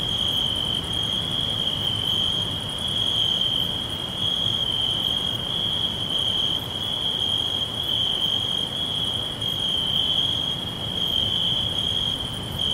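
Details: A chorus of crickets in a forest setting gives a bright, unbroken high trill at an even level, with a weaker pulsing overtone higher up and a continuous soft hiss beneath.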